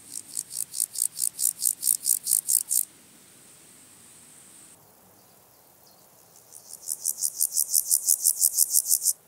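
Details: A male water-meadow grasshopper (Pseudochorthippus montanus) sings at Andechs, Germany, on 21 September 2018: a series of short, dry rasping pulses repeated several times a second.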